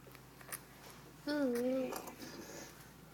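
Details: A 12-day-old Chug puppy, a Pug and Chihuahua cross, gives a single high, wavering whine lasting about half a second indoors, with handling noises and people talking nearby.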